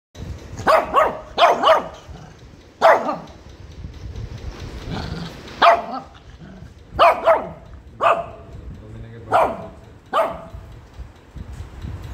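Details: A Shih Tzu puppy, after a bath, gives sharp, high yappy barks in short bursts, protesting angrily at being combed, which it hates.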